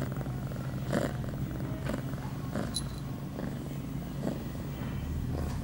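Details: Pia, an 8-month-old female domestic cat in heat, two hours after her first birth control pill, recorded September 23, 2011; a steady, low, rumbling purr runs throughout, broken by a few soft rustles and clicks.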